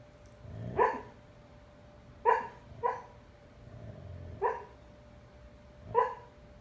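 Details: A sleeping husky named Bandit, fostered through Dogs on Deployment, talks in a dream: five muffled, stifled woofs spaced roughly one to two seconds apart, with soft breathy grumbles in between, against a faint indoor hum.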